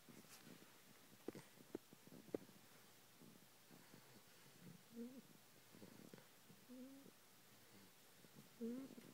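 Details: A sleeping 12-week-old English Bulldog puppy, groggy after a long day of attention, snores softly with short nasal, whistling snorts every couple of seconds.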